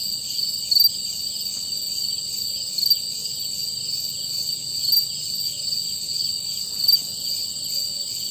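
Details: A steady, high-pitched chorus of male crickets singing to attract mates in the dark, with one louder chirp from a single cricket rising above the rest about every two seconds.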